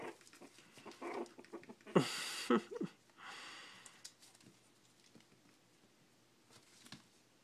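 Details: Four-week-old Shih Tzu puppies, learning to eat and playing, give brief high yelps and whiny squeals amid snuffling and rustling; one is growling as if wanting to fight.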